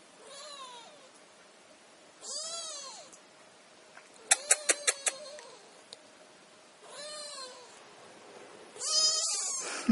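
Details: Kittens in a chorus of meowing: five high, arched meows with rich harmonics, spaced a second or two apart, some drawn out and strained, with a quick run of sharp clicking taps midway through.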